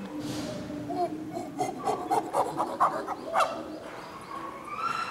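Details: Captive chimpanzees of a nine-member family group at Tama Zoo, Japan, May 2019: a run of rhythmic, breathy hooting pulses, about four per second, rising in loudness, then a higher drawn-out call at the end over hollow enclosure echo.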